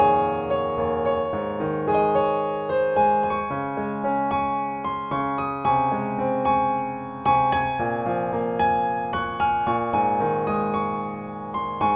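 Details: Soft electric piano plays a slow, lullaby-like tune with repeated chord strikes, and no animal sound.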